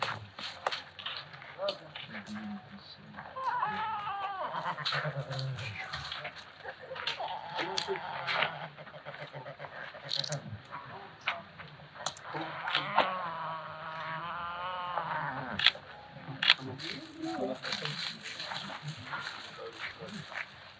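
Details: Fossa from Madagascar giving two drawn-out, wavering bleat-like calls with a trembling vibrato, near the start and again later, while people talk close by and clicks and handling noises sound throughout.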